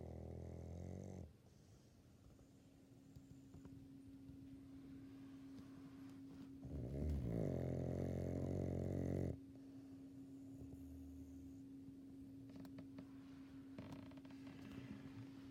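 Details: Elderly female Labrador Retriever, El, aged sixteen, snoring in her sleep indoors: a deep rattling snore at the start, then a long loud rumbling snore of over two seconds, with a steady electrical hum in the background.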